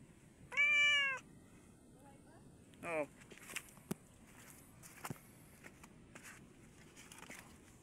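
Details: Domestic cat with a snake it caught, the snake said to be still alive; one loud, slightly arched harmonic meow under a second long, then a shorter falling call near the three-second mark, followed by scattered clicks and a person speaking Tagalog.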